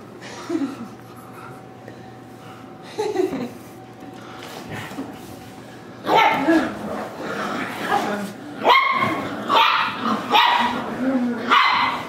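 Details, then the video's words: Corgi puppy during play attack: a quiet start with soft murmurs and an occasional yelp, then from midway a burst of shrill, rapid yaps and squeaky barks roughly every second, with people talking underneath. "CORGI PUPPY ATTACK"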